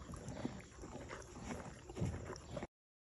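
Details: A Morgan mare eats grain, chewing with irregular, crunchy grinding bursts and soft low thuds.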